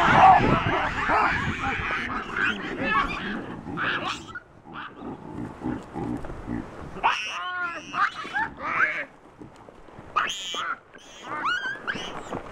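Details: Chacma baboons from a wild, habituated troop in the Soutpansberg mountains, South Africa, screaming in alarm at a rock python holding a juvenile. A loud, rough burst opens, then separate arching shrieks follow in irregular bursts, with broadband noise between them.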